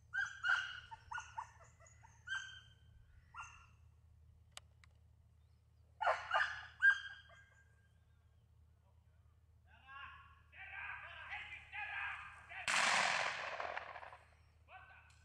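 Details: Elfin, a Welsh Springer Spaniel in hunting training, lets out irregular bursts of excited yelps and short barks in quick clusters, then a loud rushing crash near the end, with faint background hum throughout.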